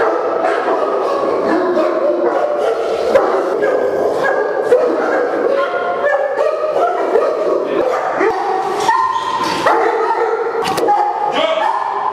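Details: Kennel in India holding St. Bernards, English Mastiffs and French Mastiffs; a crowd of dogs barks and yelps at once, deep barks mixed with higher whining yips, some notes drawn out, continuous throughout.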